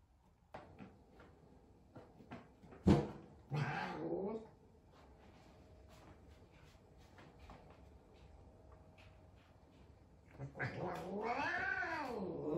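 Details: F2 Savannah cat indoors, frightened on first meeting a little kitten, giving a long wavering rising-and-falling yowl near the end after scattered knocks and thumps and a brief earlier moan.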